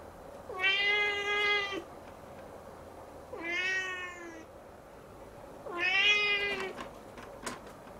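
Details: Young Siamese cat looking up at the ceiling, crying on and on: three drawn-out meows spaced roughly every two and a half seconds, each bending down at the start, over low indoor hum and a sharp click.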